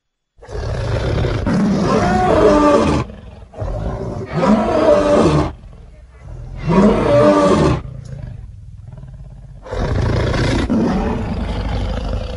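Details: Lions in the Luangwa Valley, eating and playing with the family group, give four long, deep, rasping roars. Each lasts about two to three seconds and is separated by short quiet gaps.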